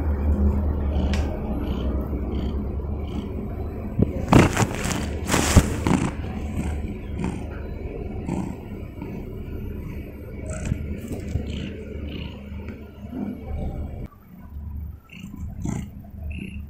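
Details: A domestic cat lying in bed purrs in a low, steady rumble, broken by a few bursts of rustling.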